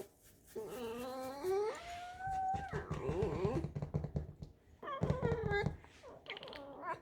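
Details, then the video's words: Pet fox in a kitchen making creaky, squeaking whines: wavering tonal cries rising and falling in pitch, a long held note, then a pause and another quavering whine, while a woman talks softly and household rustling is heard. "Алиса - лиса. Кухня, лиса, скрип"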